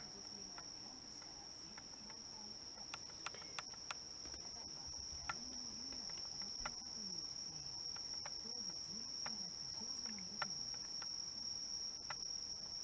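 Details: Bell crickets, with other crickets, in September 2023 in Japan, where indoor cats doze, keep up a continuous high, tinkling bell-like ring on one pitch, with soft low murmuring and scattered small clicks beneath.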